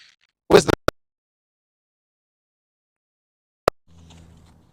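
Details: Near silence broken by a brief scrape, two sharp clicks and a faint low hum at the end, with no animal voice.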